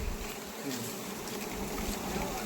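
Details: Wild honey bees buzzing during a wild honey harvest, a steady dense hum throughout with low rumbling handling noise and faint human voices in the background.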